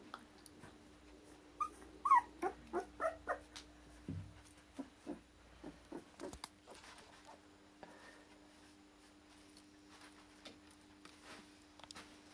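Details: Litter of Akita puppies born 16 November in Hungary, sired by Japan-born Kotono Go; a run of brief squeaky yips and whimpers, about two per second, fading into soft scattered whines with a low steady hum behind.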